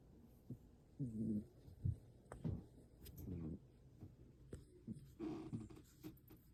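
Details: Pepper, a pet cat, snoring while asleep indoors: soft, low, irregular rasping breaths in short bursts about every half second to second, quiet throughout.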